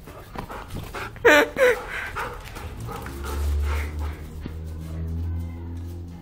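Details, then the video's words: Two Giant Schnauzers, a father and son named Ronnie and Arnold, playing together indoors: one short, sharp bark-like yelp near the start, then low rumbling sounds while a person speaks to them. "Mis schnauzer gigantes papa e hijo jugando"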